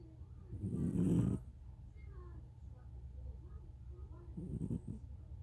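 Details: Cat snore: a single strong rough low inhalation, followed seconds later by a fainter, shorter rasping breath.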